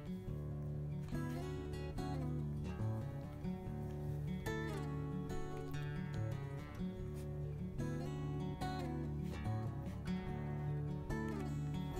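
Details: Steady strummed acoustic guitar music plays throughout, with plucked notes over a low, sustained accompaniment and no animal voices.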